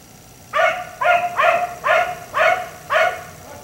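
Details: Six sharp, resonant barks about half a second apart, after a brief quiet start, from a black Labrador retriever left outside in a yard until 1am.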